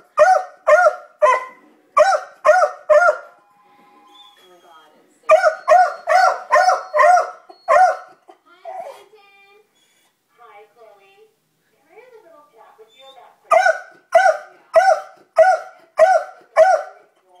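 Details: Libby the beagle sounds off at dogs across the street: bursts of loud rhythmic barking, roughly two per second, broken by pauses with soft whines and faint human speech before a final rapid volley.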